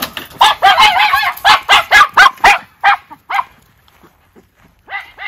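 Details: Two Miniature Schnauzer brothers bark excitedly as they are let out for a quick run in 14-degree-F cold after three weeks kept inside, Aroostook County, Maine, December; rapid sharp barks in bursts, then quieter, with a few final yips.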